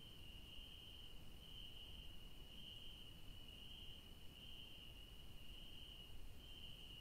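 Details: Crickets calling at night in a garden of yellow daisies: a high sustained trill pulsing brighter roughly every second, with quiet low-pitched background noise.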